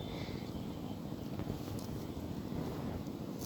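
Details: Outdoor wind rumble and broadband noise with a distant engine-like drone, without any clear animal call.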